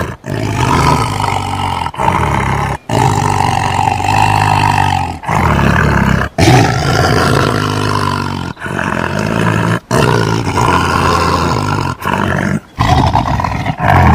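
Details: Tiger giving a long run of heavy, gravelly roars, each sustained for a second or more and split by abrupt short gaps.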